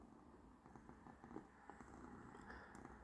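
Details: Persyk, a house cat on a hot day, purring softly in a continuous low, even drone with faint scattered clicks and room noise, the rumble holding steady without pauses.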